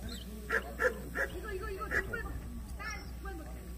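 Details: Jindo dog in the young female class at the 66th Korean best Jindo dog selection show; a run of four short, sharp barks spaced about half a second apart, with indoor crowd murmur and a low hum behind.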